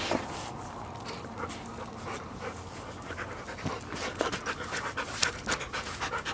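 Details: Big dogs, a one-year-old Siberian Husky and two seven-year-old mutts with arthritis, panting quickly in rapid broadband breaths about four per second, with occasional louder bursts.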